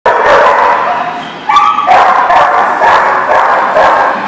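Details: Many dogs barking at once at a dog boarding lot, a dense overlapping din of barks and yelps with no single dog standing out, steady and loud throughout.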